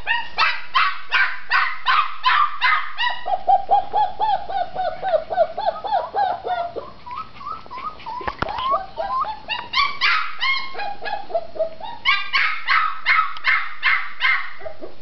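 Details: Female red tri-colored Australian Shepherd puppy shut in an enclosure and asking out: fast sharp yaps, then a long stretch of softer whining yelps and a loud click before the barking picks up again.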